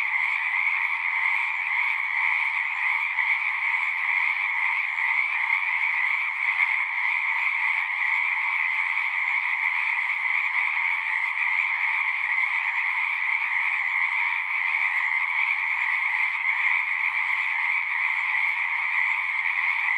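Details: Steady massed trilling of numerous frogs at a pond in a horse pasture, Zoom recording; the high, even chorus runs without a break for the full twenty seconds, with a faint low hum appearing toward the end.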